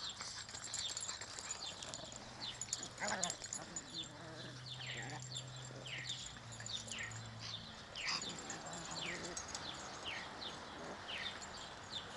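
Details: Pekingese puppies playing in a front yard give high, thin yips and squeaks in quick, uneven bursts, with a person speaking briefly.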